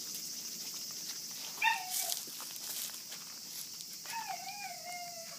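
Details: Kishu x Shikoku cross puppies, 40 days old, from one litter: two thin, high whimpering whines, the second drawn out and wavering, over a constant loud hiss of insects.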